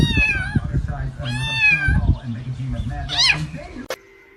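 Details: Pet cat producing several high, nasal meows, a couple of them quite long, mixed with people talking and laughing nearby, ending in a sharp knock and a faint lingering tone.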